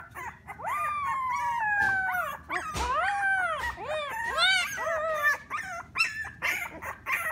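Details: Three-week-old Alaskan Klee Kai puppy Jingle lets out a long, falling whine, then a string of rising-and-falling whimpers and squeaky yips that grow shorter and choppier toward the end.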